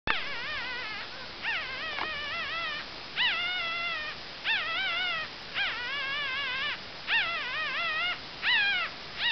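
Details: Two-day-old Cavalier King Charles Spaniel pups, the female puppies of a litter, giving high, wavering whimpering squeals in repeated bursts about a second long with short pauses between them.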